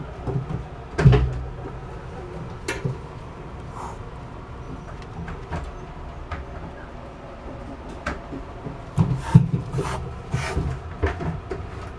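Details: Indoor thumps, knocks and rubbing sounds at irregular intervals, with no animal voice.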